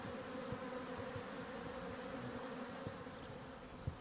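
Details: A Western honey bee (Apis mellifera) swarm in a garden in May, arriving at an empty hive, gives a dense, steady, droning hum from many wings beating together.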